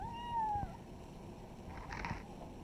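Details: Kitten among village pets giving a single drawn-out meow that slides downward over about half a second. A softer, noisier sound follows near the end, against a steady low rumble.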